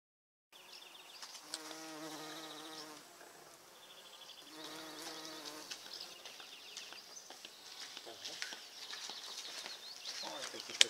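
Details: Bumblebees on purple flowers: a low droning buzz in two bursts of about two seconds each, separated by a brief lull, followed by a fainter hum, with thin high chirps and ticks in the background.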